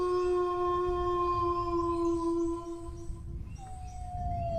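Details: Howling dog: a sustained, even tone with strong overtones that fades after about three seconds, then a brief gap before a second, higher howl starts and slowly slides downward. A low rumble continues underneath.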